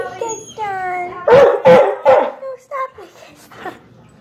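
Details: A dog crying for another dog, very loud: high drawn-out whimpers, then three quick harsh barks in a row, followed by short whining yelps.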